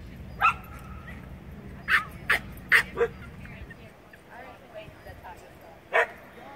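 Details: Standard Poodle during a CPE agility run, giving short sharp barks in a quick cluster of four near the middle and single barks at the start and end, over steady low background rumble and faint voices.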